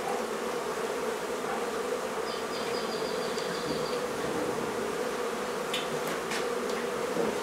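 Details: Steady, thick hum of honey bees from a barn hive being removed in La Feria, Texas, on a hot day, with a faint high repeated chirp in the middle and a few clicks late.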